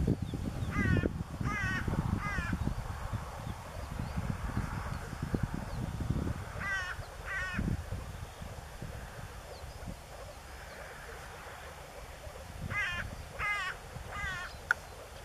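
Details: Male moor frogs in blue breeding colours, northern Germany near the Elbe river, Niedersächsische Elbtalaue, 15 April 2013. Short pulsed, bubbling calls come in clusters of three at intervals. Low rumbling background noise.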